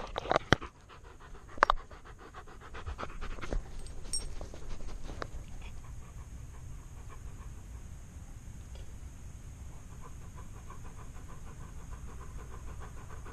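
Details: Alaskan Malamute wearing a GoPro on his chest, heard up close: rhythmic panting breaths with a few sharp thumps and scuffs early on, then steady, quieter breathing under a constant background hiss.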